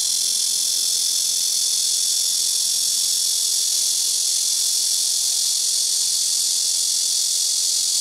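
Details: Loud, unbroken shrill drone of a blackish cicada (말매미) in rooftop trees at a house, cicadas calling in turn from trees in front, left and right; steady high hissing buzz throughout with a faint low hum beneath.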